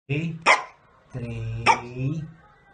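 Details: Eleven-year-old female Pekingese playing with her owner and other dogs; a low groaning whine broken by two sharp yaps, the second yap following a longer moaning stretch.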